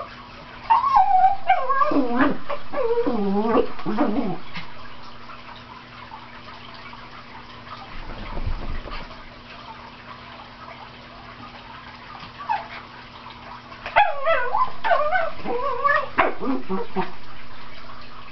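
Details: Cairn Terrier Teek barking as he plays and chases dust in the sunlight: bursts of high, yipping barks in quick runs, a quieter stretch with faint scuffling, then another rapid flurry of sharp yips.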